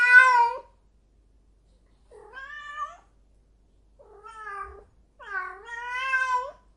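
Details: A cat in heat gives four loud, nasal, wavering wails, each under a second to over a second long, in a quiet indoor setting.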